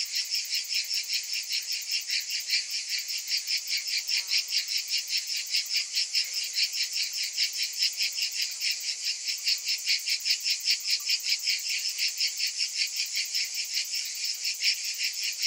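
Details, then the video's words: Summer cicada chorus: continuous shrill, high-pitched buzzing that throbs in quick regular pulses for the whole stretch, with nothing else audible. "Cicadas in Summer"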